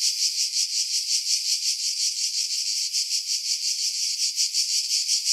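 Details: Cicadas in pines over the sea at Pefkos Bay, Skiros Island, Greece, July 2018, a little quieter: a high buzzing song beating in regular pulses nearly three times a second, filtered to strip out wind buffeting.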